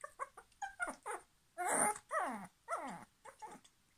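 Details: Puppy reacting after its toy was taken away, demanding it back: a run of short, high, falling whines and yelps, some clipped, others drawn out into a louder crying whine, indoors in a small room.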